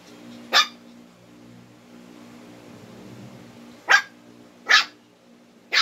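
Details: Twin Shih Tzus challenging each other and getting irritated indoors: four sharp, loud single barks, one near the start and three close together toward the end, separated by quiet with a low steady hum behind.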